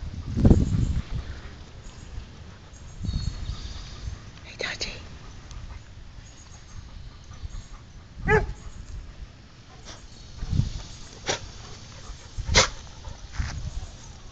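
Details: Dog barking because it wants to play while another dog rolls on the ground. Short, sharp barks come in scattered bursts about every two to four seconds, with people talking softly in between.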